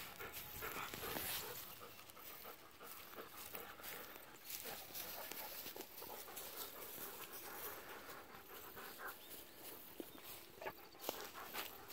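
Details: Pet Golden Retriever on 7 November, hot after running around, cooling off in an irrigation ditch and then rolling on the ground, pants in rapid, breathy, uneven bursts of about 143 per minute, with outdoor rustling behind.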